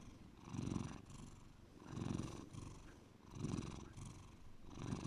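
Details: Deep purring from Bear, a domestic cat, with low throbbing swells rising and falling roughly every second and a half, each breath cycle audible as a softer hiss between the louder rumbles.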